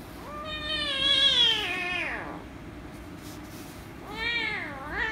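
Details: Angry rescue kitten meowing loudly when petted: a long drawn-out harmonic meow rising then falling over about two seconds, then a second meow starting near the end, over low background hum.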